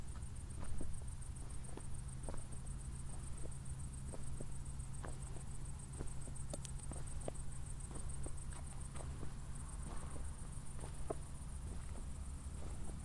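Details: After a thunderstorm at night near Zwettl, Austria, crickets keep up a steady, very high, finely pulsed chirring throughout, while footsteps tap irregularly and a low steady hum lies underneath.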